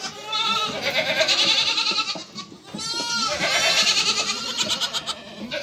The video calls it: Anne keçi sesi yavru oglak sesleri